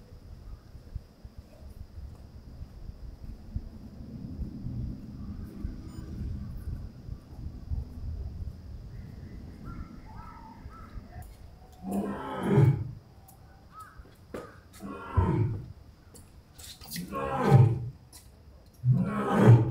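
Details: Six-year-old male lion at Asahiyama Zoo, Japan, roaring to call his family, recorded 9 August 2023 in the outdoor enclosure while his mate and three 10-month-old cubs were away. Low rumbling moans build into loud, deep, grunting roars about every two and a half seconds, with faint bird calls behind.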